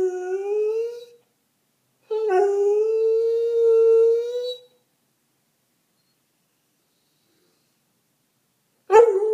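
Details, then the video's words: English Springer Spaniel giving a rising howl, then a longer steady howl of about two and a half seconds, with a final howl starting after a long silence. "Springer Spaniel Howling"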